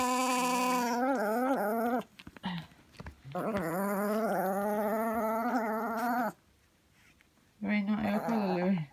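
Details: Lou Lou Bear, a male 1.5 kg teacup Chihuahua, growls indoors while refusing to wear his clothes: three sustained, wavering, tonal growls of about two to three seconds each, split by short quiet gaps.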